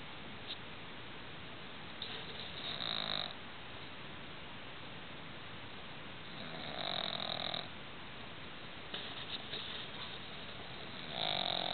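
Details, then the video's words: Roxy, a pet pug, asleep indoors at night, snoring loudly: long rasping, rumbling breaths about a second each, spaced roughly four seconds apart, with quieter hissing between them in a small, still room. "Roxy the Pug Chainsaw"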